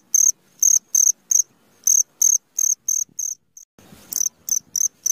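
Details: Midnight cricket chirping in short, shrill pulses at an uneven pace, with brief pauses and a soft low scuffle near the fourth second before the chirps resume.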